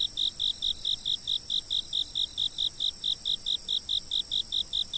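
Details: Chirping insect on a fixed camera for sleep: clear evenly spaced chirps roughly 140 per minute, unbroken for five seconds, against a continuous high ringing chorus of other insects.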